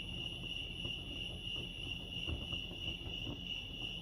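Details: Crickets chirping at Lake Arrowhead, California: a steady, high, unbroken ringing trill held at one pitch for the whole stretch, over soft low rumbling background noise.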